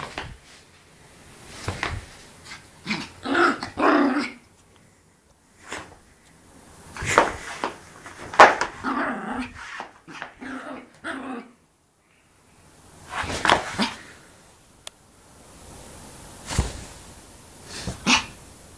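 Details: A Yorkshire Terrier, playing and frolicking excitedly, gives bursts of sharp barks and rough growls, broken by short quiet gaps.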